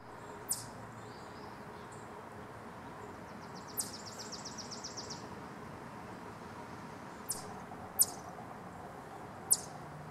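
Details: A wild Eastern chipmunk gives sharp, high clucking chips at uneven intervals, with one quick rattling run, as a warning alarm; recorded June 11, 2023.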